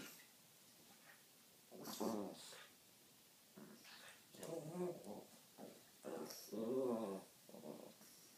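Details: Two Pekingese dogs playing together give short, rumbling play growls in bursts with brief pauses between.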